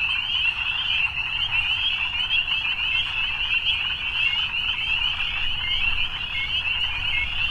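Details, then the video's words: Dense evening frog chorus of countless overlapping high-pitched trills forming a continuous buzzing wall of sound, with a faint low rumble underneath. "Evening Frogs"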